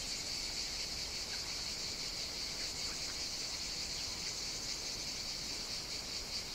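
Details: Continuous chorus of cicadas on Evia, Greece, during hot summer days: a bright, even, shimmering drone held at one pitch, plus a fainter lower buzz and a few soft chirps in the background.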